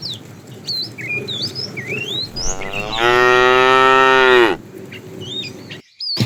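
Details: A tame cow from a herd roaming the road for food gives one long, strong moo lasting about two seconds, rising then falling off, while small birds chirp and whistle around it.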